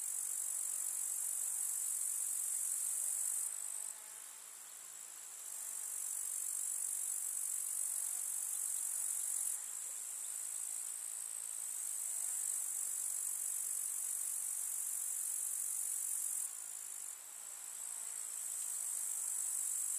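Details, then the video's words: Grasshoppers chirping in a summer meadow: a dense, continuous, very high-pitched shimmering buzz with no pauses, dropping briefly in loudness around four and seventeen seconds before resuming at full strength. "КУЗНЕЧИКИ. Слушать звуки летнего луга"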